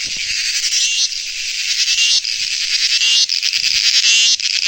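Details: Loud cricket trilling in rapid pulsed bursts, high and rasping, broken by brief gaps about every second.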